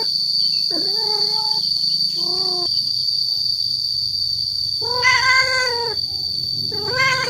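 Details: Male cat calling to draw females: scattered meows separated by quiet gaps, a short low one, then a louder upward-bending yowl and a final rising cry. A constant high-pitched whine and low hum fill the background.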